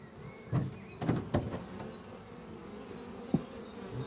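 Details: Many honey bees buzzing at a thriving hive beneath trees one spring morning, workers returning with pollen; deep, even humming with several close loud passes or bumps and faint high repeated chirps behind.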